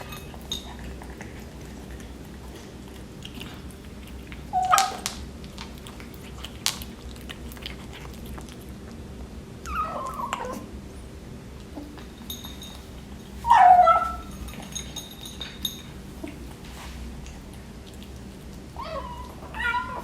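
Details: A 12-week-old male British Shorthair kitten gives short, soft mews now and then while eating breakfast, against a quiet indoor background.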